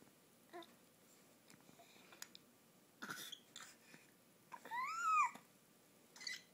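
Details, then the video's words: Household pet giving a newly learned, strange monkey-like call indoors: soft clicks and a cough-like burst, then a loud tonal arching cry about half a second long that rises and falls, followed by a brief faint chirp. "strange monkey sound"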